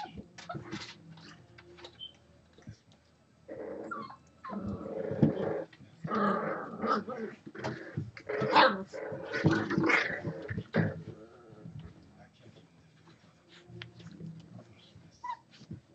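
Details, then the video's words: Six-week-old Boxer puppies at play, several pups together, giving rough growls and squeaky whimpers in bursts of scuffling noise, with louder overlapping tussling vocalizations in the middle and quieter gaps near the start and end. "Boxer Pups 6 Weeks"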